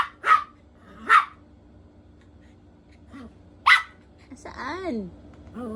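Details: Poodle in a hide and seek game barks twice, pauses, barks once more, then a high-pitched voice is heard speaking.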